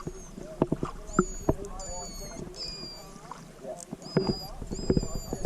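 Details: Pilot whales stranded en masse at Macquarie Heads on Tasmania's west coast, distressed and exhausted, with calves; underwater, high tonal whistles sweep and hold steady among sharp clicks and bubbling thumps, with water splashing and people talking nearby.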